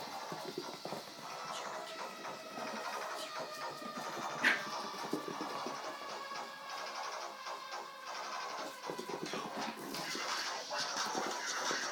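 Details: Busy music with scratching, clicking textures and a sharp tick near the middle; no animal voice can be picked out.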